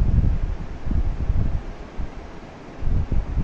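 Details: Heavy wind buffeting the microphone, a low rumbling roar that swells and fades, with no animal voice.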